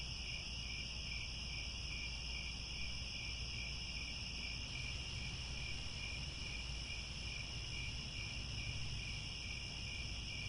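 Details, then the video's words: Crickets calling at sunset in the grasslands of Angkor Wat, Cambodia: many insects form continuous high trills, one band beating in quick regular pulses, steady and unbroken, with a gentle low rumble beneath. "The Sound of Crickets at Sunset"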